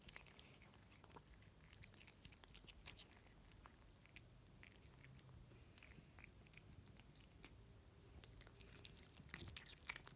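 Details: Russian Blue cat eating wet food indoors, quiet close chewing: scattered soft clicks and moist bites at an uneven pace, with a couple of sharper bites near the end.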